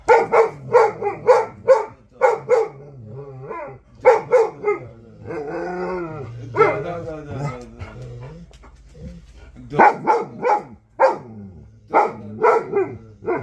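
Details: Central Asian Shepherd Dog (Alabai) talking: runs of short, sharp barks at a quick pace, broken by a drawn-out, wavering, moaning vocalization in the middle, then more rapid bark bursts.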